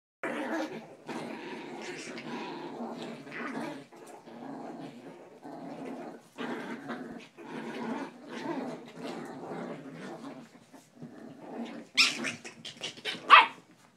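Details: Chihuahua growling while playing tug of war, a run of low rough growls in short bursts with brief gaps, ending in a couple of sharper, higher yips.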